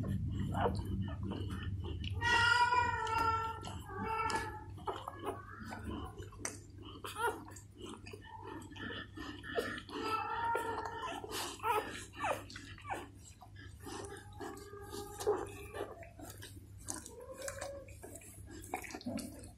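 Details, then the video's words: Newborn Golden Retriever puppies indoors with their mother, who is cleaning them. Thin, high harmonic whines and squeaks come in short bursts near the start and middle. Soft licking, shuffling and a steady low hum run underneath. "Mother Golden Retriever Cleaning Newborn Puppies | ASMR Dog Licking"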